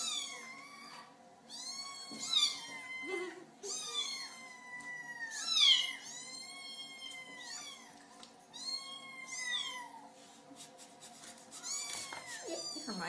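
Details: Kittens meowing to get their owners' attention, one described as a screamer: a long run of insistent high meows from several kittens, overlapping and uneven in timing, with a few shrill louder cries midway and a low steady hum.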